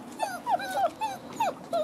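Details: Six-week-old French bulldog and wolf cross pups whimpering in a run of short, high, whiny yelps, each sliding down or bending in pitch, about five in under two seconds with brief gaps between them.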